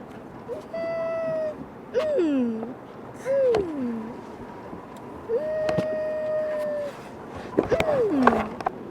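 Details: Humpback whale song recording played back for children in Watamu, Kenya: long tonal moans and upswept and downswept whoops near mid pitch, some with harmonics, spaced every couple of seconds, over low hiss.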